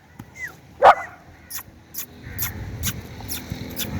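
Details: German Shepherd puppies at play give a single short, sharp bark near the one-second mark, with a faint whistled chirp just before it and scattered clicks and light background noise afterward.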